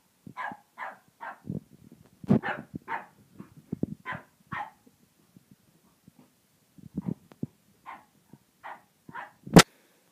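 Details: Unsure of a tiger toy, a French bulldog lets out short barks in clusters of three or four, with low thuds and scuffling between them. After a silent pause come more barks, then one sharp loud click.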